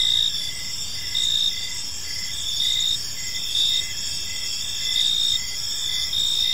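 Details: Evening park crickets, several voices overlapping in a continuous shrill chorus; a lower dashed chirp pulses about twice a second beneath sustained high trilling, over a quiet low hum.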